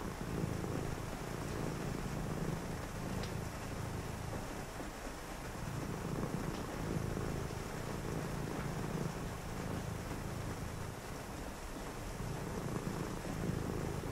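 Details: Domestic cat purring indoors on a rainy night during a quiet reading session; low, steady rumbling purr in breathing cycles, pausing about every two seconds, under constant hiss of rain.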